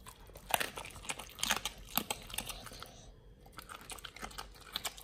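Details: Pit Bull Nomyen crunching raw quails in a BARF feeding, close ASMR sound: bursts of crisp crackling bites and tearing, a brief pause, then quieter rhythmic chewing in a small room.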